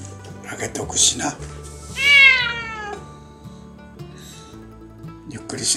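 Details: A stray cat waits for its meal at dusk on a windy seaside evening. It gives a single loud, bending meow midway, surrounded by quiet music and a person's gentle talking.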